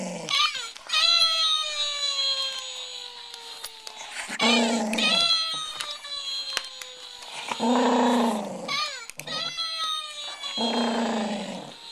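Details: JoJo, a big 37-pound rescued Welsh Terrier, growls indoors at a Mr. Bill toy. Deep rumbling growls of about a second each come three times, answering the toy's repeated falling, whining 'Oh No!' cries.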